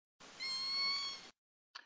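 A Southern Resident killer whale gives a K pod S16 call, a steady, rich mewing tone like a cat underwater.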